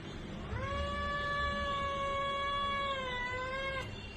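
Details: Domestic cat, in a series covering kitten to adult age, giving one long, steady meow of more than three seconds. The meow is held at an even pitch, with a slight dip and a rise at the very end.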